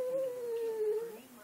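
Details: A Boston Terrier "sings" along to Happy Birthday being sung to it, giving a sustained, tonal howl that sags slightly in pitch before trailing off lower.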